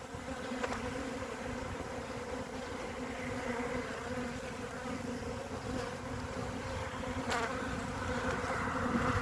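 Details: A small honey bee colony covering three frames, recorded 14 February 2021, hums continuously in a smooth buzzing drone that swells slightly toward the end, with two brief clicks.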